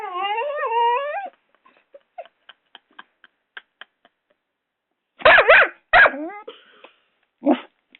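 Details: Rocco, a six-month-old Doberman puppy, fighting a hairdryer at home: a long wavering high whine lasting over a second, a string of faint clicks, then two loud harsh barks and a shorter yelp near the end.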